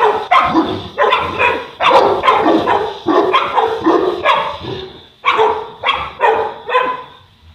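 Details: Boerboel, also called South African or African Mastiff, living in Egypt as one of the pair Enzo and Diva; deep harmonic barks come in a rapid burst over the first five seconds, then three more after a short pause.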